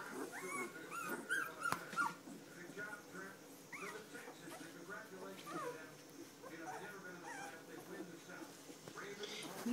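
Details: Three-week-old standard poodle puppies from a litter of Star and Levi give high, wavering whimpers and squeaks, clustered early and scattered later, over a steady hum of low human voices.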